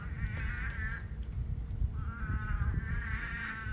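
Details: At night during a monsoon rainstorm on a farm, many toads, newly dug out and swimming in rain pools, give nasal, bleating calls that rise and fall in overlapping bouts.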